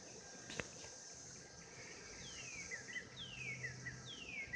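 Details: Mating cicadas in 2016 produce a continuous high-pitched buzzing hum, while three falling whistled slurs sound in the second half over a faint low rumble.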